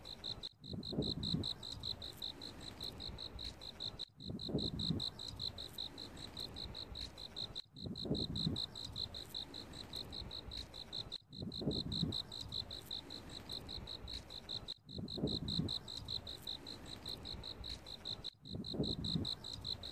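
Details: In autumn, a cricket keeps up a constant high, pulsing chirp of evenly spaced ringing notes, several per second, while a soft low rustling rumble recurs about every three and a half seconds.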